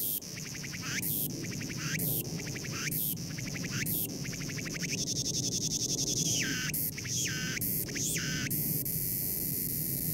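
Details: A cicada cries with loud shrill buzzing bursts separated by pulsed rattles, then a long sustained whine, followed by quicker closely spaced bursts and a steady high hiss.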